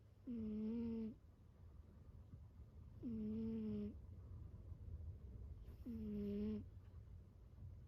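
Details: Kiiyan, a pet cat, snores loudly while asleep: three drawn-out, nasal, humming rasps, each about a second long and steady in pitch, repeating roughly every three seconds over a low room hum.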